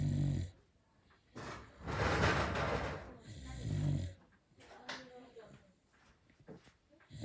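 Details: A sleeping Beagle snoring loudly indoors: deep, rasping low breaths swelling and fading, two long snores in quick succession, with faint clicks between them.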